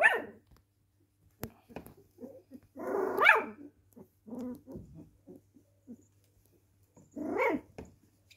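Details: Cocker Spaniel in a small room giving a bark at the start, a drawn-out rough bark near the middle and another near the end, with short soft whimpers between and a low electrical hum.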